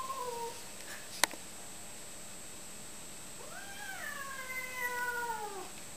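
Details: Male cat meeting a female cat indoors: a brief falling meow and a sharp click open the recording, then a long, moaning yowl wavers and slowly falls over about two seconds.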